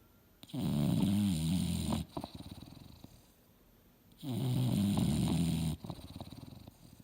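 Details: Sleeping English Bulldog Mildred, a female dreaming on a couch indoors. A pair of deep, vibrating snores roughly four seconds apart, each lasting about a second and a half, with light snuffling after each.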